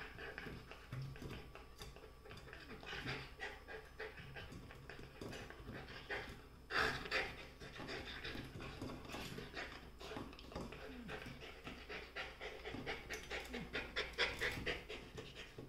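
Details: Golden retriever puppies fighting over a chair pant in quick, rhythmic, breathy bursts, with scuffling noises throughout.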